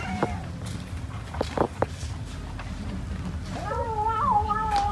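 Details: Cat eating rice: a few soft thumps and low murmurs, then a long wavering meow that rises and dips over the final second and a half, over steady low background noise.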